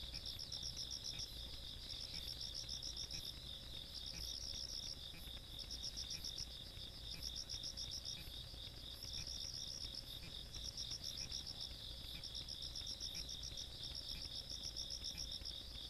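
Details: Night insects in the Korean countryside, 17 August 2022, chorus of fast pulsed high chirps in bursts of about two seconds over a constant shrill trill, with a faint low background hum.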